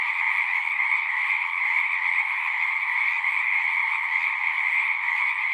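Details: Many frogs calling together from a pond in a horse pasture, captured on a Zoom recorder: a continuous wall of overlapping high trills, steady in loudness throughout, with no other animals or voices.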